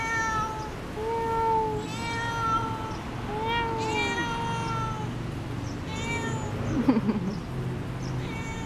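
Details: Cat talking with its owner, giving a run of about six tonal meows roughly every second, each rising then falling, some longer and wavering, with faint room noise and a brief chirp near the end.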